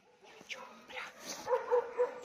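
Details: Small female Pinscher, born 2018, a rescue dog in Italy, giving a few short yelping barks near the end, with a woman speaking Italian softly in the background.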